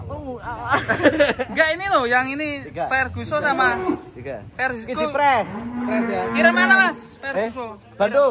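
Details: Big cattle coming down off a truck during unloading in 2025. Several low, steady moos, the longest about a second and a half late on, are heard amid constant chatter from the men handling them.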